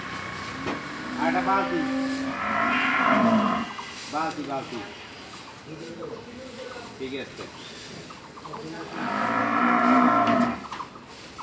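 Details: Dairy cow on a farm in Bangladesh, offered for sale: two drawn-out harmonic moos, one early and one near the end, with people talking, a bucket clanking and vehicle noise in between.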